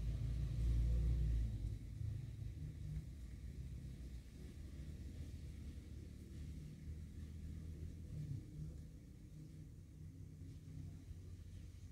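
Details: A deep, continuous rumble resembling an engine or passing vehicle fills the recording from start to finish. No animal voices can be made out.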